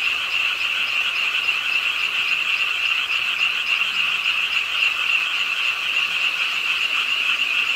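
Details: Pond-side frog chorus in Ingye Art Park, Suwon, on a rainy late night; a thick, pulsing mass of quick croaks from numerous frogs, steady in volume with slight surges, rain falling alongside.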